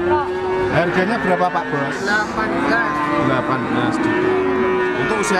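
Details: Cattle at the Siyono livestock market in Gunung Kidul, Yogyakarta, Indonesia, where a young male PO Java feeder bull, about 1.5 years old, is for sale; a steady low moo runs under men talking and market bustle.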